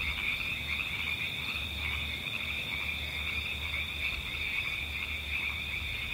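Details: Outdoor ambience of croaking frogs. Brief pulsed croaks recur every second or so against an unbroken shrill trill of crickets and insects, while gentle wind rumbles low throughout.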